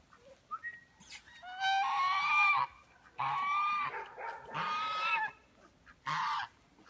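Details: Belgian Malinois puppies, five weeks old, from a litter of eleven at a breeding kennel. They give several high, harmonic whining yelps lasting about a second each, some rising at the start, separated by short silent gaps.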